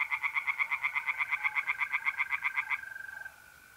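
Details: A tree frog in a pond in north-east Italy, mid-April at night, gives a fast series of about twenty pulsed croaks, then stops, leaving only the steady trilling of mole crickets.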